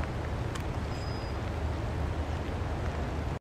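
Steady low rumble of wind and distant traffic throughout, with no clear birdsong.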